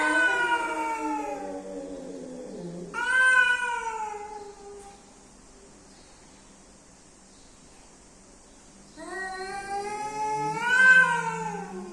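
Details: Cats, male and female, meeting; loud drawn-out wailing yowls, one rising and falling, then a quiet gap before another long harmonic wail with a low moaning undertone.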